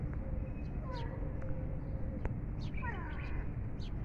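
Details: Cat at feeding time giving two short, faint mews that slide downward in pitch, set against a low rumbling background and scattered light clicks.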